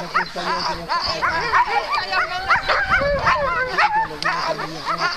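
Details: Alaskan malamute sled teams at the start line on the second day of Metsäkartano Sprint, 4 March 2012, barking and yipping excitedly; dense overlapping chorus of many dogs with rising yelps, plus human voices.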